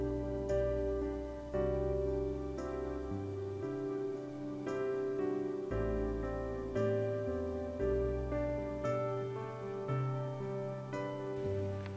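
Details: Gentle keyboard music with sustained chords and a calm, steady pulse fills the whole stretch. No animal voices can be picked out.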